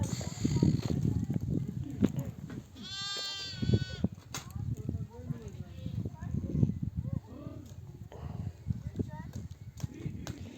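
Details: Nomads' ewes returning from desert pasture call their lambs to suckle; one loud, rich, quavering bleat rings out near the start, followed by fainter scattered bleats amid trampling hooves, shuffling and distant voices.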